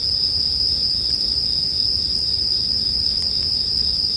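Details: Bell cricket song over a gentle campfire, meant for sleep: a constant piercing ringing tone with light crackling from the fire underneath.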